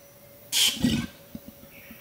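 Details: Adult male Bornean orangutan at Tuanan Research Station, Central Kalimantan, Indonesia, warning observers that they are too close: a single loud, harsh burst of about half a second, hissing high then dropping to a lower rasp, followed by faint soft clicks.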